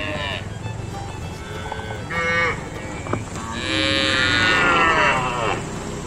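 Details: A herd of cows heading towards the fields gives long, rich moos, one brief and one drawn out, over a steady background hum.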